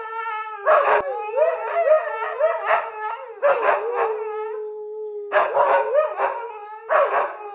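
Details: Morning howling from a Siberian Husky: wavering, yodel-like howls with pitch bends, a long steady held note near the middle, and harsh overlapping bursts starting and stopping in clusters.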